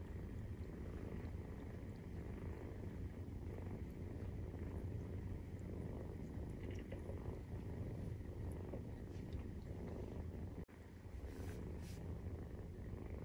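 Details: Purring of Maine Coon cats during nursing, kittens aged 43 days: low continuous rumble throughout, broken by a brief dropout near the end, then a soft higher hiss before the purr resumes.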